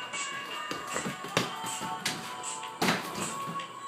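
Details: Upbeat music plays over irregular taps and thuds of a bouncing ball, about every second or so, indoors.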